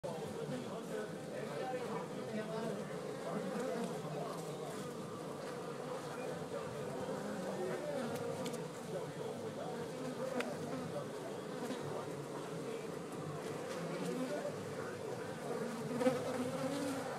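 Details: European honey bees, a colony of 4,000 to 10,000 nested inside a patio support column at a home in Glendale, Arizona: a steady, dense, low droning hum throughout, with faint background noise.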